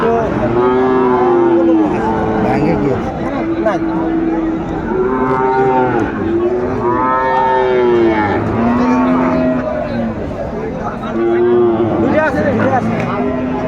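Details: Sahiwal bull calves at a cattle market where a Chattogram farmer buys stock, 17 January 2025; several cattle give long, arched moos in overlapping bursts every couple of seconds over a murmuring crowd.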